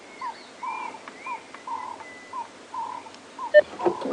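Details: Monkeys giving short, clipped barking alarm calls about one every half second during a morning safari drive at Djuma Game Reserve, 23 March 2016; a thin whistled note runs above, a louder burst near the end.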